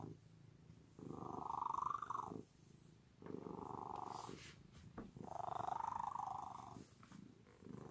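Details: Domestic cat purring loudly and steadily in three drawn-out bursts of about one and a half seconds each. Each burst is a buzzy, vibrating hum, and short quiet breaths fall between them.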